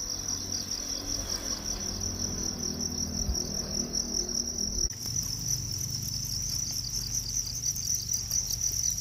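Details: Crickets described as natural, giving a steady, high, shrill trill of rapid pulses throughout, with a faint low rumble underneath and a brief change in background noise near the middle.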